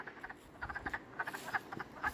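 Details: Around midnight, many frogs call at a drying swamp pool after spring thaw, brief sharp clicking croaks in rapid overlapping bursts forming a rattling, uneven chorus.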